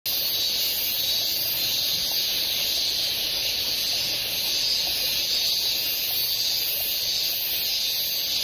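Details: Minmin cicada recorded in late August 2012 at Oshoro Beach, Otaru, Hokkaido, Japan: a continuous, dense, high-pitched hiss-like buzz that holds steady throughout without clear breaks.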